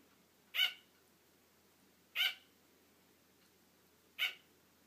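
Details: A female sugar glider gives sharp, high yapping barks at uneven intervals of one to two seconds. She barks for attention when her owner starts to fall asleep because she wants to keep playing.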